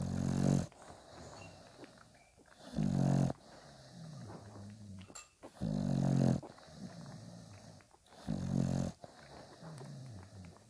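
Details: Newborn Bulldog pups, five days old, with their mother Spikkels: deep, raspy snort-like bursts repeated every two to three seconds, quieter whimpering and shuffling noises filling the gaps.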